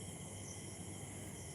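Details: Crickets heard at night from a balcony under a cloudy, starless sky: a faint, unbroken high-pitched drone in several steady tonal bands, with a soft low rumble underneath.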